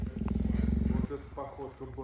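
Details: Captive female cheetah Gerda defending her enclosure from male cheetah Messi: a rapid, throbbing low growl for about one second stops abruptly, and a person talking follows.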